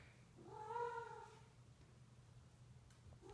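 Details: Female Sphynx cat in heat, indoors with a male Bambino cat during two days of mating: one drawn-out, wavering yowl rising then falling, followed by quiet room hum and the start of a second call.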